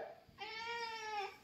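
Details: Pet cat giving a single drawn-out, steady meow of about a second, slightly falling at the end, in a quiet room.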